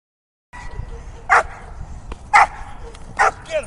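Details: Donovan Pinscher barking during a bitework training session, three sharp, loud barks about a second apart, while a handler repeatedly urges it on with shouted commands and praise.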